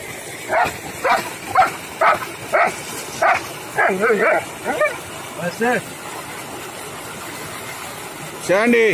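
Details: Long-coated German Shepherd dog in India barks repeatedly, about two barks a second in uneven bursts, some doubled and yelping, with a man's voice and faint traffic behind.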